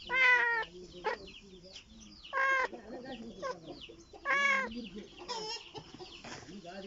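Shrill, strained kitten meows come in short bursts about every two seconds, the cry of a kitten calling for its mother. Quiet human voices murmur between the calls.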